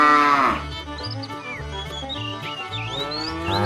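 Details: Tame cattle herd setting off on a long journey toward fresh pasture; a falling harmonic moo opens, another begins at the end, with small birds chirping between and a steady low hum underneath.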